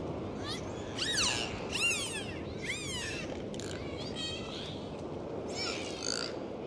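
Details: Underwater sea recording of dolphins during a dive: rapid chirping whistles, each bending upward then down, repeated in bursts about a second apart, with faint buzzy clicks between them over a low watery hiss.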